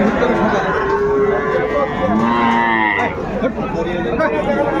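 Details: Young Sahiwal bulls for sale at a market on 10 February 2025 as warm weather sets in; several rising and falling moos, one climbing near the end, partly buried in chatter and haggling.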